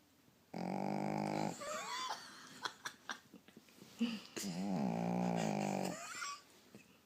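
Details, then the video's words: Female pet dog that snores even while awake, giving two long, rasping, droning snorts of about one and three seconds. Quieter snuffles, clicks and soft breathy sounds fill the pause between them. "SNORING DOG!! she even snores when she's awake!!"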